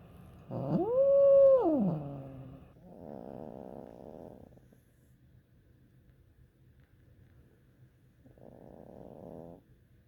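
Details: Female house cat calling when she wants something; one rising, held and falling moan, followed by two buzzy, trilling growl-like bursts separated by quiet, with a faint low hum in the background.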